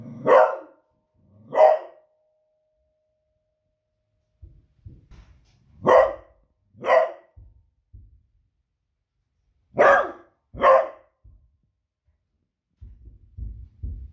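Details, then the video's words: A female pet Beagle reacts to booming fireworks one Friday evening with loud, fierce barks in three pairs, each pair about a second apart, separated by pauses with soft low knocks and rustles. "Cute Beagle Barking at Fireworks Noise"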